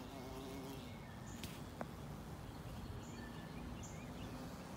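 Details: A carpenter bee investigating the area around a carpenter bee trap gives a low droning buzz in flight that fades away, with faint high chirps of distant birds.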